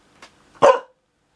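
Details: Pet dog indoors gives one short, sharp bark, said to be complaining about the noise after thunder during rain; a person softly calls the dog just before.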